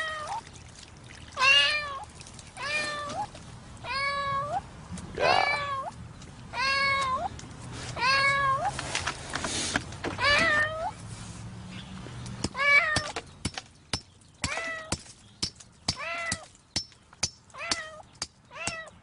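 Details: A cat trapped in concrete cement calls again and again with long bending meows, each rising then dropping. Hammer blows ring out between cries, growing faster and more frequent toward the end as the rescue continues.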